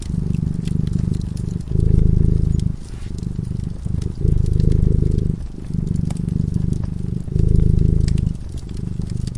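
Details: Sleeping cat by a cozy fireside, purring gently: deep throbbing purr swelling and easing in phases about every two seconds, fire crackle ticking over it.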